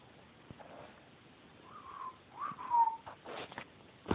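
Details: Siberian Husky pups, 28 days old, indoors; two drawn-out, high whines near the middle, one wavering and one sliding gently downward, then soft scuffling and thumps of movement.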